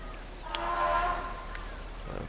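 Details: A distant Asian elephant in Nepal's Chitwan Jungle, heard during an elephant safari while a greater one-horned rhino bathes in a river in the heat, gives a brassy, tonal trumpet that swells and fades in about a second.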